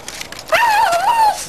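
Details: A wavering high whine, just under a second long, comes from Terry, a female pet dog fixated on a tree; faint background noise before and after.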